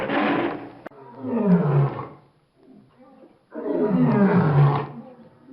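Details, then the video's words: A lion gives two loud, rough roars that drop in pitch toward a low rumble, with a quieter, throaty groan in the pause between them. "Leão | Som Do Leão | Leão Rugindo | Rugido Do Leão | Liaon | Roar Lion"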